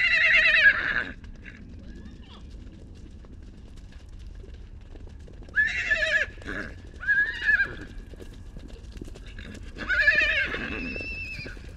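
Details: A young wild horse at the Salt River, Arizona, whinnies in shrill, quavering bursts, calling repeatedly after being separated from its mother; recorded with a long-range microphone.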